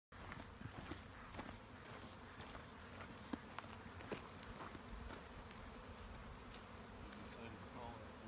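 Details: Honey bee swarm in late spring on a dead shrub beside Overlook Trail in the Santa Monica Mountains; steady dense droning hum throughout, with faint scattered clicks and ticks from the surroundings.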